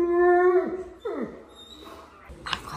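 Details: Alaskan Malamute, a large male dog at the vet's office, chatting with staff: a long tonal, harmonic howl-like note sliding down, then a second drooping moan, with faint talk in the background.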